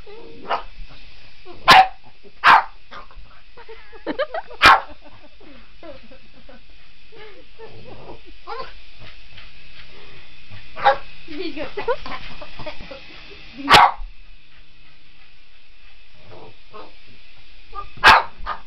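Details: Boston Terrier going after a remote control helicopter, giving sharp single barks spaced a few seconds apart, with whimpers and yips between them over a constant buzzing hum from the helicopter.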